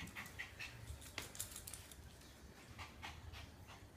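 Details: Maru the Shiba Inu keeps circling after its own tail, breathing in rapid hissing pants, several short airy bursts in the first second and a half, then fainter, slower breaths with low rumbling movement noise.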